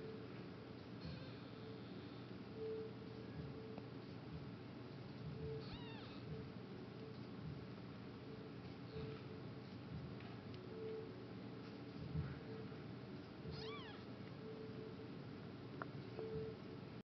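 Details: Litter of four-day-old Norwegian Forest kittens; two thin, high, rising mews near six and fourteen seconds, with fainter squeaks between, over a steady low hum and soft rustling.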